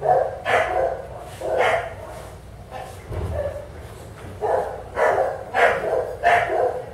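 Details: Bulldog at a veterinary practice in southern California during a skin scrape for demodex mites, giving short harsh barks or yelps in uneven bursts, about six over seven seconds.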